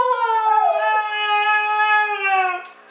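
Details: Siberian Husky howling on cue when asked to sing in celebration: one long, steady, tonal howl held for about two and a half seconds with a slight downward drift, then cut off.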